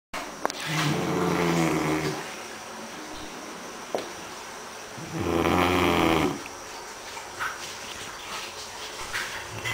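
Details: Elvis, a Great Dane, snores with two loud, rough, rumbling snores about four seconds apart. Quieter breathing and faint room noise fill the gaps between them.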